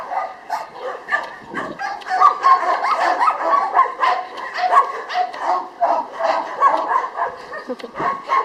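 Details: Jania, a female Labrador Retriever housed at the Kundelek shelter in Rzeszów, Poland, gives quick, irregular yips and barks, nearly four a second, mixed with a person speaking encouragingly to her in Polish.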